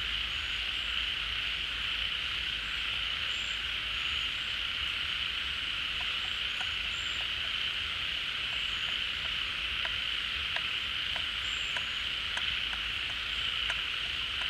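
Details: Many frogs calling together at a pond as water returns in the rainy season, having come out of dormancy or their burrows: a dense, steady, high shimmering chorus with scattered short clicks and pips throughout.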